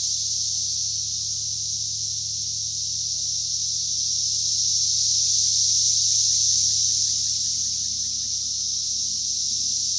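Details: Cicadas recorded in 2021, a steady high-pitched droning buzz that swells slightly in loudness midway and fades back, with faint distant bird notes underneath.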